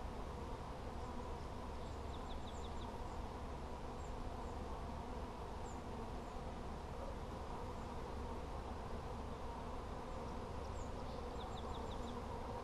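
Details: A steady swarm-like droning of honey bees fills a hive check on 17 July 2020, while small birds chirp faintly in quick high notes in the background.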